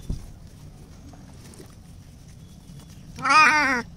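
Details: Simba, a Bengal cat scared of being bathed, cries during a bath in the open: after near silence, a single loud, drawn-out wavering meow rises and falls for about half a second near the end.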